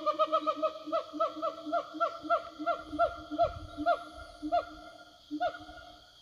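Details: Siamangs roaming the forest, answering each other: a long series of ringing, downward-sliding barks above low hooting undertones, fast at first, then slowing and spacing out toward the end, with insect buzz throughout.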